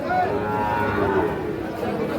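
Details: Sahiwal bull calves at Ambari cattle market in Parbatipur, Dinajpur, 19 April 2026, sold as a pair; a long, steady lowing moo runs beneath loud market chatter and bargaining voices.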